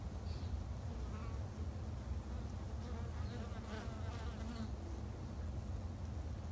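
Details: Japanese honey bees at a garden hive, producing a thick, even low-pitched buzz throughout with faint higher rustling.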